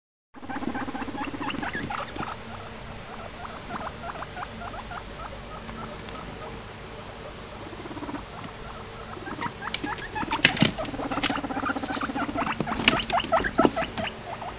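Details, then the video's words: Male guinea pig rumbling while checking out the females' cage because he wants to mate; a steady buzzy low purring rumble with rapid pulses throughout, plus scattered rustling and clicking of bedding and cage. "male guinea pig rumble strutting"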